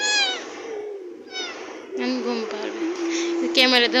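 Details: Cat indoors with two quick, thin meows that sweep up then down in the first second and a half, followed by a person speaking over the rest of the recording.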